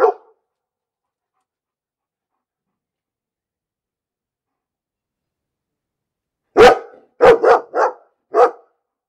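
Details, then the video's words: One dog barking: a single bark at the start, a long quiet stretch, then a burst of four rapid barks and one more after a short gap. "Bellender Hund - Hunde bellen"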